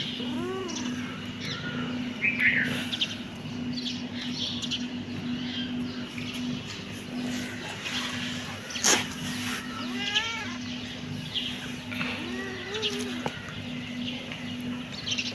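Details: Kittens meowing: a series of short arched, whiny meows spread through the recording, some in quick pairs, against a constant low hum and occasional clicks and a sharp knock.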